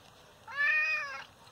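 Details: Hurt father cat, injured by someone unknown, utters a single meow of under a second that rises slightly and then falls, in a quiet room.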